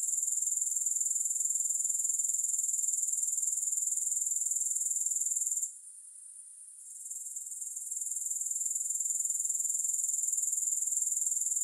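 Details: Soothing grasshopper chorus without music, a continuous high-pitched shimmering trill of fast, regular pulses that drops away for about a second midway, then gradually swells back to full strength.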